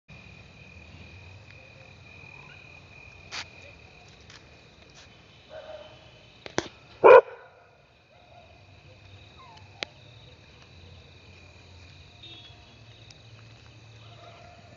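A Labrador Retriever gives one sharp, loud bark after a long quiet wait.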